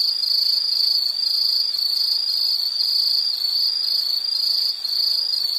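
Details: Insects trilling in a high, steady pulse, the shrill buzz swelling and dipping in regular beats roughly twice per second, nothing else audible.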